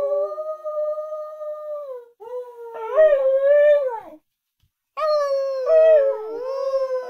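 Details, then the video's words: Australian Kelpie Lilli, trained to howl, holds a steady tonal howl that drops slightly at its end, then gives a wavering, rising and falling howl, a brief silence, and another long bending howl. "Australian kelpie Lilli is howling"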